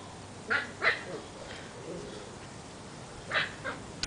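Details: Seven-week-old Portuguese Water Dog puppies playing outside: short, high, yappy barks, a quick pair near the start, a pause, then two more near the end, over a soft steady background hiss.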